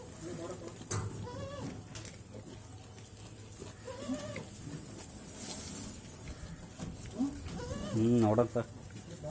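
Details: Goats on a farm bleating in quavering, wavering cries, with the loudest near the end, while people talk in the background.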